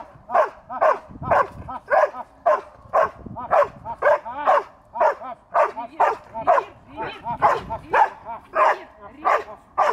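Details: Young dog making its first attempts at barking: a steady run of short, yelping barks about two per second, slightly hoarse and uneven, continuing throughout.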